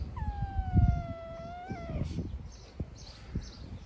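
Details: Young stray cat on the street at feeding time gives one long, steady meow that dips briefly at the end, followed by thuds, rustling and light outdoor noise.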